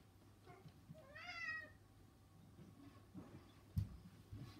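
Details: Domestic cats, one of three household cats, restless and fidgety just before being fed; a single soft, drawn-out meow that rises then falls, followed by quiet room noise and a brief thump.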